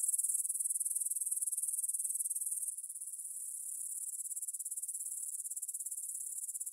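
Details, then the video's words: Evening field near Svensky Monastery in Bryansk, Russia, 9 pm, 6 September 2020, Tascam DR-44WL stereo: grasshoppers keep up a shrill, high-pitched pulsing buzz that drops noticeably quieter partway through, then carries on as a softer, rhythmic trill. "кузнечики на лугу – Grasshopper Sounds in the Field"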